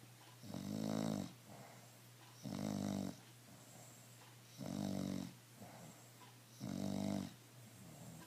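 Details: Emma the bulldog sleeping calmly and snoring: four rough, resonant snores repeated about every two seconds, each followed by soft breathing, with a low steady hum in the room.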